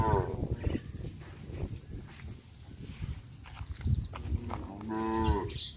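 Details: Village cows roaming tame and at ease; a moo fades out at the start, then after a low murmuring stretch a fresh drawn-out lowing moo rises near the five-second mark, with faint outdoor clatter.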